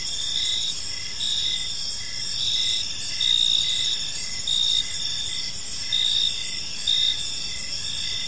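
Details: An evening cricket chorus in a park, with several high, continuous ringing tones. Brighter, longer chirp bursts recur roughly every second over a rhythm of quick lower pulses. The loudness swells slightly in places.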